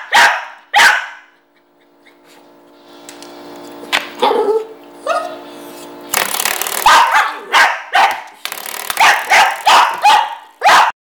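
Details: Dog reacting to a door stopper spring it dislikes: a couple of loud barks, a long ringing twang of the flicked spring with soft grumbles, then a renewed volley of sharp repeated barks.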